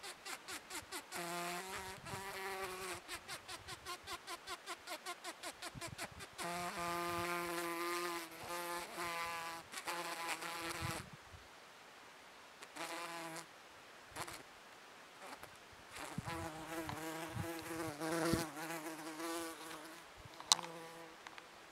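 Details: Bombus rubicundus bumblebee at Páramo Matarredonda, Choachí, Cundinamarca, Colombia: a low, droning buzz with a steady hum and bright overtones comes in bursts and pauses, with crackling clicks in between.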